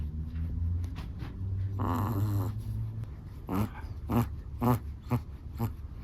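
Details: Black and tan long-haired Chihuahua asleep and snoring: one drawn-out rattling snore near the start, followed by a string of quick, short snorting breaths in close succession, all low and throaty in a quiet room.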